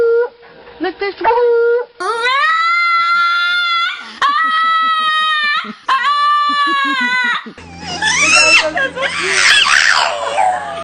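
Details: Dog making funny, voice-like sounds: short yips, then three long, level, whining howls of a few seconds each, followed by a noisy, rough vocal burst with background hum.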